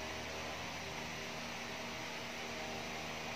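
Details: Constant loud broadband hiss like a fan or appliance running, with no animal sound.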